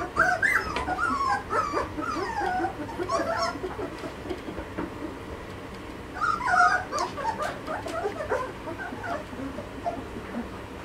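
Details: Malinois puppies, 2.5 weeks old, B-litter of Amyra x Fenris; two bursts of overlapping wavering squeals and whimpers from several pups, separated by quieter rustling.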